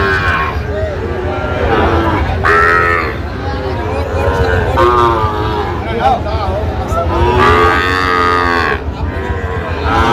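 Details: Sahiwal bull calves at Raniganj cattle market, Gazipur, 7 August 2025. Several drawn-out, harmonic moos rise and fall through the clip, repeating every few seconds over steady market chatter and bargaining voices.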